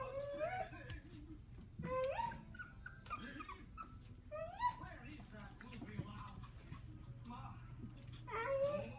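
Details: Coton de Tulear puppies playing indoors give high, rising whimpers and short whiny yelps, several bursts spread across the stretch, with a person talking over them in a small room.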